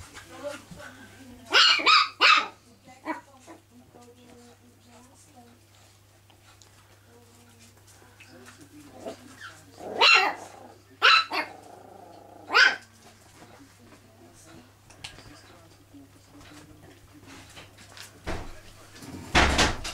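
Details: Chihuahua indoors at home with family: clusters of short, high barks at intervals, quiet stretches between, and a person speaking briefly.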